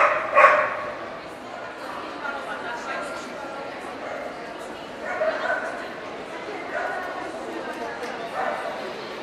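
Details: Welsh Corgi (Cardigan or Pembroke) at an Ostrava dog show, 14 April 2012: one loud bark at the start, then a couple of fainter barks later, all under a constant murmur of voices in an indoor public hall.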